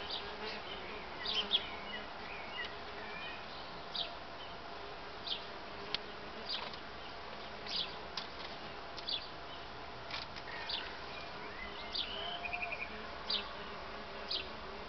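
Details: Solitary bees busy with lots of activity, no mating. A steady low droning hum runs throughout, with scattered short clicks and faint bird chirps.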